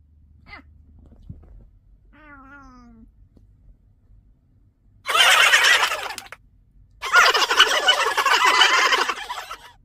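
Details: One of a family of five pet cats, Harry, Carry, Mong, Tammy and Nuri, utters a short, slightly falling meow near the start, then two loud, harsh, rasping bursts of broadband noise follow.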